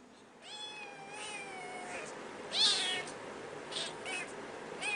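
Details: Domestic cat, a kitten playing with its angry mother; a long falling meow followed by shorter higher mews and a brief squeal, with soft rustling between calls.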